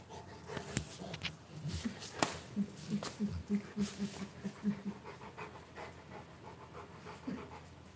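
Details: Rottweiler puppies on a morning livestream, one panting in quick rhythmic breathy pulses, roughly three a second for a few seconds, with scattered knocks and handling noises and a brief human voice nearby.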